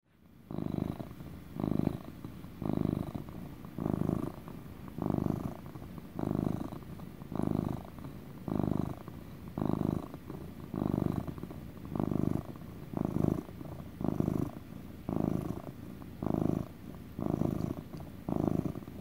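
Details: Domestic cat purring loudly in a relaxed motor purr, indoors; rhythmic pulsing bursts roughly once a second, each a low rumbling buzz alternating with softer in-breath phases, steady and unbroken throughout.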